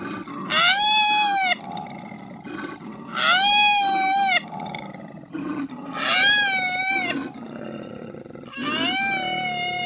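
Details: Koala giving four long, nasal, wailing cries about a second each, every two to three seconds. Each cry is harmonic and slightly arched, and soft rough grunting breaths fill the gaps.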